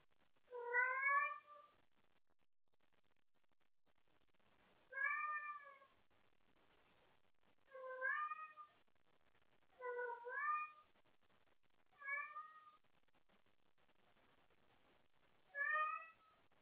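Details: Calling for someone to play late at night, house cat Wendy gives six short, clear meows spread over about sixteen seconds, each bright and slightly rising, separated by quiet pauses indoors.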